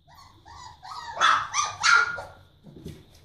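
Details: Four-week-old Barbet puppies give a quick run of thin, rising whines and yelps, several overlapping over three seconds, with a faint low murmur at the end.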